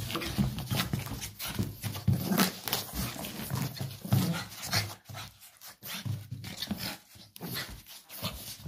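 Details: Pug Mitrofan rampaging playfully indoors, giving a continuous run of harsh, low, snorting growls in rapid pulses, with panting breaths and wheezy snuffles between them.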